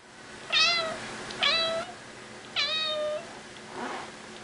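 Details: Domestic cat, a female house pet, meowing non-stop as a request: three loud rising-then-falling meows about a second apart, each drawn out and harmonically rich, followed by a fainter fourth meow in a quiet small room.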